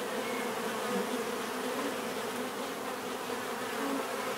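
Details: Dense bee buzzing, an unbroken low drone with a few short rising whines from individual bees passing near.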